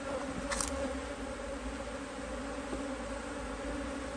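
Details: Honey bees at an Australian-designed Hive IQ beehive in mid-autumn 2023 in Australia, the hive opened to add a box after fine weather with bees working strongly; a faint steady low droning hum with a camera click near the start.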